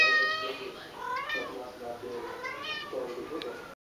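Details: Pet tabby cat sings part of a long, half-hour song, making drawn-out, wavering, harmonic-rich yowls that rise and fall in a continuous sequence indoors.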